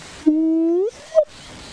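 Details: Spotted hyenas heard near a termite mound amid drainage lines, near what may be another active den, on a sunrise bush walk; one gives a low, drawn-out whoop that rises slowly, then a brief higher note, against a steady rushing background.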